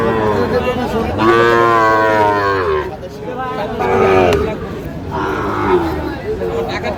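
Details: Sahiwal cattle at a busy cattle market, where a farmer from Shariatpur buys bull calves on 16 June 2025: drawn-out, harmonic lowing moos in three bursts, with people talking nearby.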